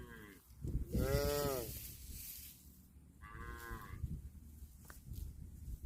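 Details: Cows eating grass, mooing: a long, loud harmonic moo near the start, then a shorter, softer moo a few seconds later, over steady low crunching and rustling background noise.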